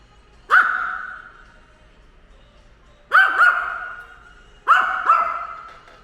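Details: Ten-year-old pet dog Ttori, which hates drones, barking while attacking a drone: three loud, sharp, ringing barks, some doubled, spaced about two seconds apart, each trailing off in a long echoing tail.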